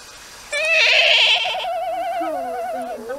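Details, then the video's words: Rescued tayra, said to be happy, making its usual puki-puki-puki call: a sustained wavering, trilled whine with rich harmonics lasting about two and a half seconds, warbling then slowly falling and fading. "esse puki-puki-puki é normal dele."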